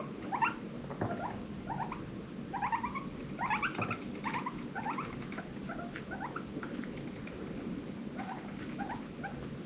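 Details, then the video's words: Rescued pet guinea pigs in a herd of five, giving happy noises; a quiet series of short upward-sweeping squeaks repeated in clusters, with low background hum and light rustling. "The sounds of guinea pigs"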